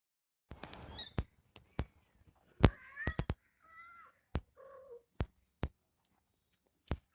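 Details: Mother cat nursing her kitten indoors; several short mews, some falling in pitch, scattered between loud sharp clicks and tapping handling noises in a small room.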